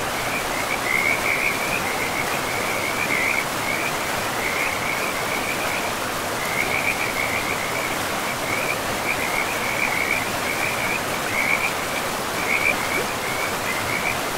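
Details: Beside a river deep in pristine, mossy forest, frogs give a continuous run of short trilled calls in quick bursts, with brief pauses, over the steady roar of running water.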